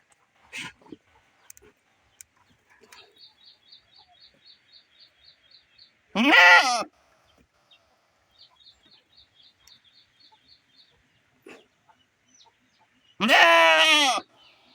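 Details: Domestic nanny goat crying for her herd after being kept home with her sick kid; two loud wavering bleats far apart, between them soft clicks and a faint high rapid chirping series.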